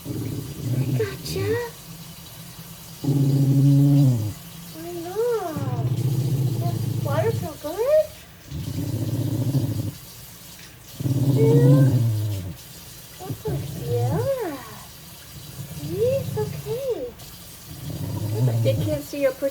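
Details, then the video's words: Wire-haired dachshund The General, just out of a shelter, grumbles while being bathed in lavender water: low rumbling growls in bursts of a second or two, alternating with a woman's soothing, sing-song speech and faint music. "Grumbly wire hair DACHSHUND gets a bath, sort of"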